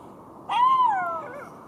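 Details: Single drawn-out golden jackal wail, a clear tone that rises slightly and then glides downward into a fading tail, over faint background hiss.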